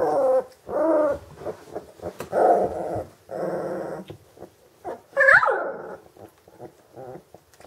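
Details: Vizsla, a hunting dog bred from old working lines, makes low rough grumbling growls in short bursts, then one sharp rising-and-falling whine near the end, followed by faint whimpering.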